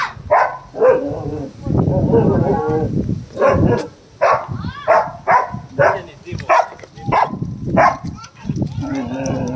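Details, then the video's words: Angry dogs barking during a dog fight: short harsh bursts of barks in irregular clusters, some longer growly stretches between them, with human voices mixed in. "Angry Dogs barking | Dogs barking sounds | Dog Fight"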